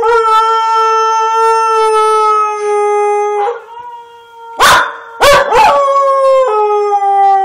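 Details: Border Collie howling: long, steady drawn-out tones with rich harmonics that hold level, dip and break, then resume with short yelping breaks before a final sustained howl.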